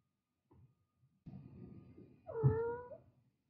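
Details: A single drawn-out meow from a mother cat with kittens, wavering slightly and falling at the end, preceded by low shuffling and rustling noise.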